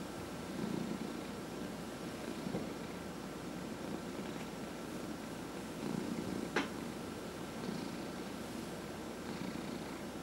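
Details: Purring domestic cat being massaged at home, one of four cats: a low rumble pulsing with each breath roughly every two seconds, plus a single sharp click near the end.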